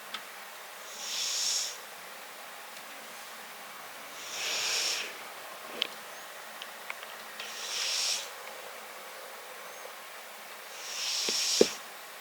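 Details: A sleeping tabby-and-white cat named Riki snores into a close microphone. Long hissing breath sounds repeat about every three to four seconds, separated by quiet pauses, with a few small ticks and taps.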